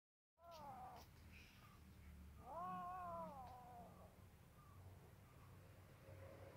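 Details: Two kittens, one white and one black, eating fish sausage together; drawn-out wavering meows, a short one near the start and a longer rising-then-falling one after, over low steady background hum.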